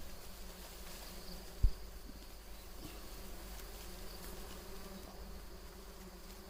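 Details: Bees swarming at a big wild beehive found in a mango tree; a steady low droning hum with a faint higher overtone runs throughout, with a single sharp knock near the start.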